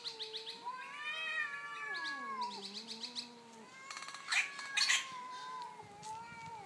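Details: Two domestic cats, an orange one and a black neighbour, fighting over territory in daytime: long, wailing yowls gliding up and down in pitch, overlapping between both animals, then a sudden burst of harsh hissing spits before the moaning resumes.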